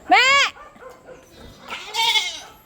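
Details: Pet goats kept by their owner giving a loud, wavering bleat at the start, then a second, softer, drawn-out bleat about two seconds in, with quieter sounds in between.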